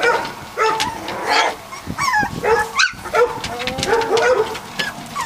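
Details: Three-week-old Catahoula Leopard Dog puppies from the Dixie and Beau litter, several pups together: overlapping high thin whines and squeaky yips, some sliding down in pitch, coming in bursts with brief pauses, plus light shuffling noises.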